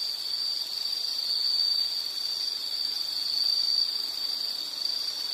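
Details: A steady, shrill insect trill continues at a high pitch, gently rising and falling in loudness, with a faint low tone underneath.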